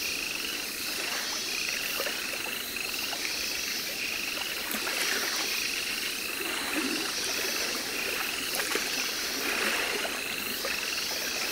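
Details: Captive Baron's mantella from Madagascar at a Paris zoo, September 2014. Repeated bursts of rapid, high-pitched clicks form short level trains, each train lasting about half a second, recurring through the recording over steady broadband hiss.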